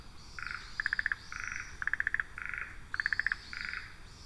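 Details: Spawning-season frogs calling and responding to each other on a trail camera: quick runs of five or six clicking pulses alternate with buzzy, even-toned notes, trading back and forth about twice a second, over low background rumble.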